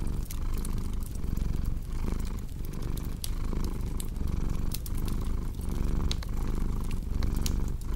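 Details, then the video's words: Steady low purr of a cat, rising and falling with each breath in a regular rhythm, set against bright intermittent snaps of a crackling fireplace. "Purring Cat"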